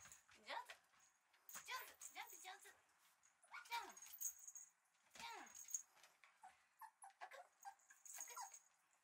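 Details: Red male Shiba Inu puppy giving short, high whimpers and yelps that slide sharply downward, in bursts about every two seconds, over a steady faint hiss.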